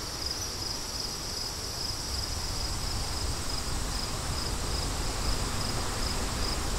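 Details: Crickets calling in wind, their high pulsed trill repeating rapidly and steadily while gusty low-pitched wind roars underneath.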